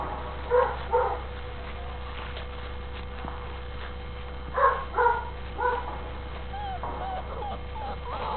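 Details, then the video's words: Young registered Catahoula Bulldog pups making short, sharp yelping whimpers, mostly in pairs, separated by several seconds of quiet, with a constant low hum underneath. "Registered Catahoula Bulldog pups"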